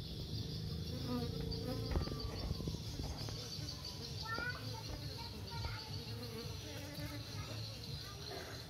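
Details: Honey bees entering and leaving their nest in search of food make a continuous buzzing drone. Short chirping bird calls and scattered clicks sound over it.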